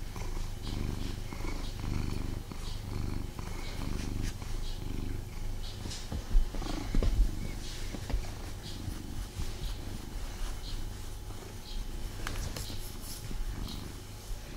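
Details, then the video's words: Domestic cat named Tommy purring while being snuggled indoors, a steady low rumbling throb pulsing continuously throughout, with a few soft rustles and brief clicks of movement around the middle and near the end. "Cat Snuggle Kuddle | Purring"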